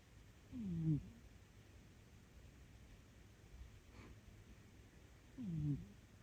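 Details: Domestic cat sound asleep in deep sleep, snoring: two short, low, rasping snores about five seconds apart, each sliding downward in pitch, with a quiet indoor hush between them.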